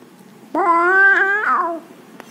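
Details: A sleepy, lazy domestic cat, one of a family of a cat and kittens, gives a single drawn-out meow of about one second, level at first and then bending upward and fading, over a quiet background.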